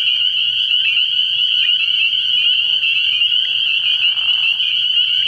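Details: A nighttime early-spring frog pond full of spring peepers: a steady, piercing high chorus of countless overlapping peeps, with a brief rougher trill near the four-second mark and a soft low drone below.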